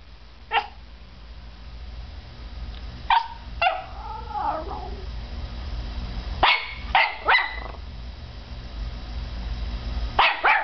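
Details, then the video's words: Peanut, a five-month-old Norfolk Terrier puppy, reacting to a CD starting to spin in a computer: short sharp barks scattered across the clip, single and in quick pairs, over a steady low machine hum. "Peanut, our Norfolk Terrier, vs. The Machine"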